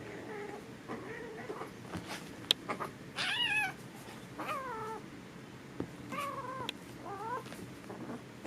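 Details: Foster kittens wrestling, making weird noises: short wavering mewing yowls with stacked harmonics, several rising and falling, scattered between scuffling sounds and faint background noise.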